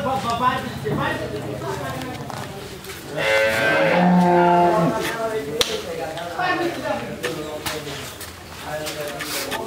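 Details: A pregnant Jersey cow, nine months in calf before her second calving, in Pabna, Bangladesh. She gives a deep, steady, harmonic moo lasting about two seconds, with rustling and background noise around it.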